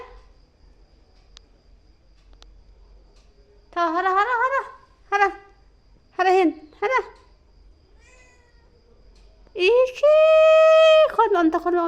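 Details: Kitten's bizarre noises on seeing a lizard: after a quiet start, four short, wavering, nasal yowls, then a loud, long, steady, horn-like wail with choppy bursts on either side near the end.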